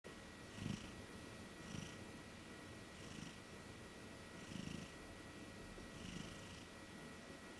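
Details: Female Maine Coon cat napping on a bed while being cat-sat, a cautious, chubby kitty asleep indoors; soft low snores about every one and a half seconds, each with a faint breathy hiss, over a steady quiet room hum.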